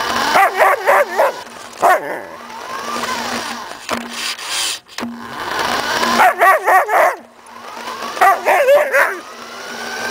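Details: Samoyed dog Suka excitedly chasing a remote-controlled car: rapid volleys of four or five quick barks, repeated in bursts, over the continuous high motor whine of the car.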